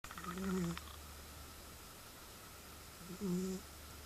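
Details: A cat snoring loudly indoors: two drawn-out, droning breaths with a buzzy, tonal edge, about three seconds apart and separated by quiet, over a steady low hum in the room.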